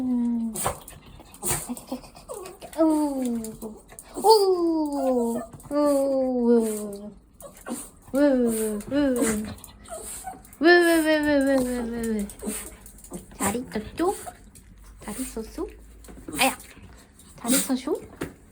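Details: Pet dog greeting someone indoors in a small room; long, drawn-out whining cries that slide downward, repeated in excited bursts, with people talking and laughing in the background.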